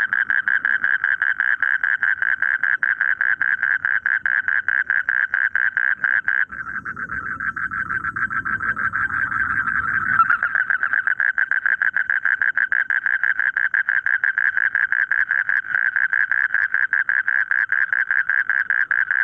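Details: Frogs in rice fields: a dense, steady chorus of rapid, pulsing mid-pitched croaks running without pause, with a brief low rumble partway through.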